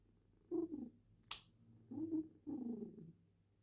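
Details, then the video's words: Female cat purring indoors while her claws are trimmed: low rumbling bursts about half a second to a second long, with a sharp click of the clippers between them. "Cat purrs while having her claws trimmed"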